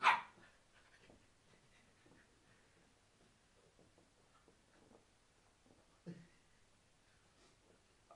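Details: Shar Pei puppy Nigel, eight weeks old, playing indoors with a person. A sharp bark opens the recording, then a quiet room stretch before a second short yelp near six seconds and a faint sound at the end.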